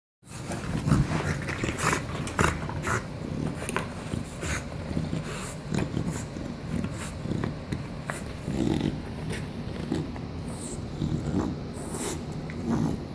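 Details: An English Bulldog grumbles with low, rumbling growls while chewing his chew toy, amid sharp, repeated clicks and crunches.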